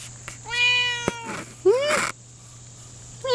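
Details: Lynx Point Siamese cat talking back with a string of meows: a long level meow, a short rising cry, then the start of another loud meow, between bursts of Spanish speech and a steady high whine.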